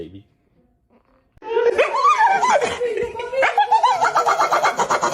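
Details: Pet dog indoors, part of a funny dog compilation, gives a wavering, howl-like whine that rises and falls for several seconds, then pulses rapidly, with people's laughter and talking around it.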